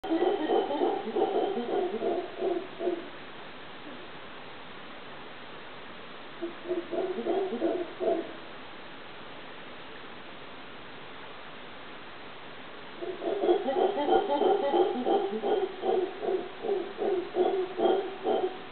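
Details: Howler monkey recorded at Cahuita, Costa Rica: deep rhythmic pulsed howling in three bouts, a long opening burst, a short middle one and a sustained closing run, with quiet gaps between.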